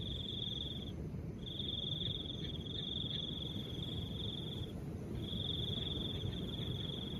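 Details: Crickets and soft wind: a bright, even buzzing trill in bursts lasting one to three seconds, pausing briefly between, over a steady low rush of wind.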